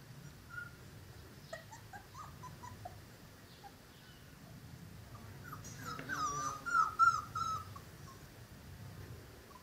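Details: Cane Corso puppies of Zola and Ziko, almost five weeks old, whining in quiet bursts at first, then a louder run of high, wavering whimpers and yips clustered around the middle of the recording, fading back to soft squeaks.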